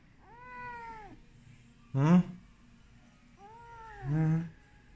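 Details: Dabao, an abandoned kitten, meows while having medicine applied to its ears: two drawn-out, arching mews about three seconds apart, each followed by a short, louder, harsher cry.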